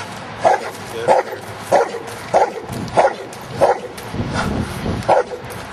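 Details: Luther, a giant schnauzer playing outdoors in rain and mud, barks in short, mid-pitched bursts, roughly every half second to second, eight barks in a steady run over a low rumbling background.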